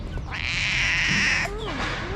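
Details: Hungry tabby cat in Morocco, cared for at a small shelter for abandoned kittens, talks to its carer in a cute voice: one long, steady, high-pitched meow held for about a second, then a brief human voice.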